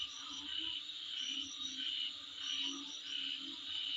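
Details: Insects calling outside a home: a steady high buzzing drone with short, brighter whistled pulses that recur irregularly, roughly one to two per second, over a faint low hum.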